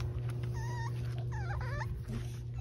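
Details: French Bulldog puppies from a litter playing and running around outside in a green yard on a sunny day, filmed December 1; two high, thin whining whimpers, the second wavering up and down, over a steady low hum, with a person talking nearby.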